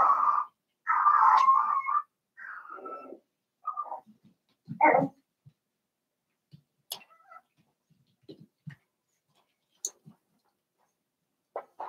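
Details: Seven-week-old Cavalier King Charles Spaniel puppies from Daisy's litter in an indoor home puppy pen: about three seconds of tonal, wavering whines, a longer whimper, then a short louder yelp, followed by scattered faint clicks and small shuffling sounds.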